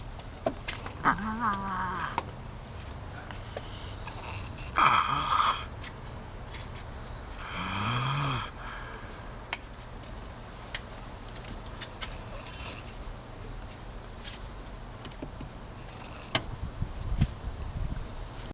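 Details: Sleeping fox named Farrah snores in rough, wheezing breaths, some carrying a low groaning tone, at uneven intervals of several seconds, with faint clicks between them.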